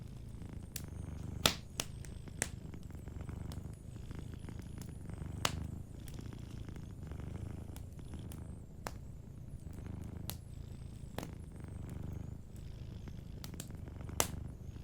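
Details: Cat sleeping beside a crackling fireplace, a soft low purr underlying frequent bright snaps and pops from the fire that recur every second or two.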